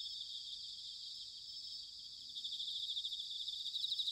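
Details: Bell crickets in autumn, Sanuki, Chiba, Japan: a dense, high, hissing chorus of ringing insects, building toward the end as a nearer cricket's pulsed trill grows louder, with faint low background rumble.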